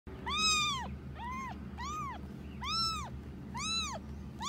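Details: Rescued kitten Annie, abandoned outside a home and found on May 6, 2018 at ten days old, in early footage: five high, arched meows, each rising then falling, spaced about a second apart over a steady low indoor hum.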